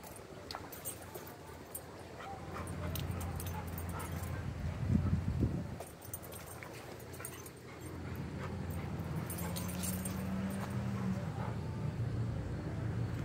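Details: A Treeing Walker Coonhound inside a Lowe's store on 10 September 2022 gives low, drawn-out whining moans over steady indoor background noise.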